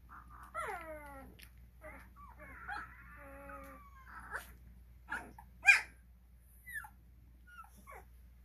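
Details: Cane Corso puppies, twelve days old, kept at a kennel, give a few falling whines and a wavering cry, separated by short quiet gaps and soft clicks and rustles.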